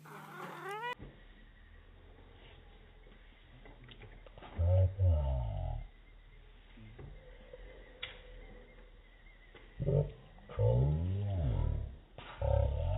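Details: White domestic cat playing with catnip indoors; a brief rising meow opens, then slowed, deepened meows from a slow-motion replay swell out twice, over a steady low hum and a faint voice.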